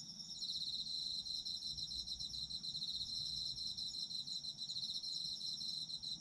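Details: Several autumn insects trill together in a steady, high, ringing chorus, fine rapid pulses running without pause, with a faint low rumble beneath, offered as a sleep soundscape.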